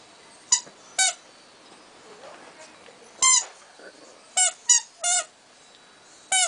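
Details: Cavalier King Charles Spaniel going after the person filming, playfully attacking; sharp high squeaky yips in quick clusters, about seven over six seconds, with quiet indoor background and faint talk.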